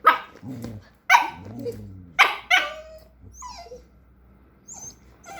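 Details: Jack Russell Terrier puppy giving sharp, high yappy barks, four in under three seconds, followed by soft squeaky whines and faint high chirps.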